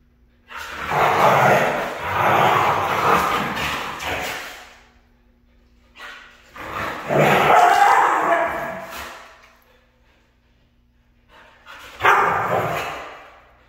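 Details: Red female Siberian Husky giving three rough, noisy vocal outbursts, two long ones of about four and three seconds, then a short one, separated by quiet gaps with a faint steady hum in the background.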